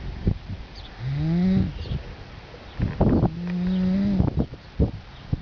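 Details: Young colt asleep amid commotion, with dogs lying beside him, snoring: two drawn-out tonal snores, each rising slightly in pitch, about two seconds apart, over steady background hiss with clicks and rustling.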